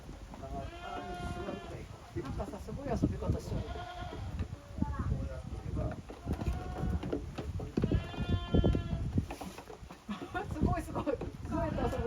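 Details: Young goats at play in a farm exercise yard on 30 April 2023. Quavering bleats recur at intervals over constant low rustling and bumping from the lively kids.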